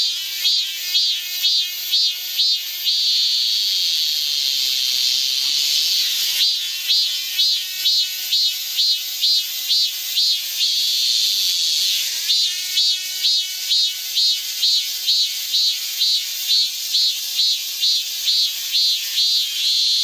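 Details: Summer cicadas in a Guro-gu park singing in a sharply pulsed rhythm, bursts of buzzing repeated about twice a second, interrupted twice by smoother sustained drones before the pulsing resumes.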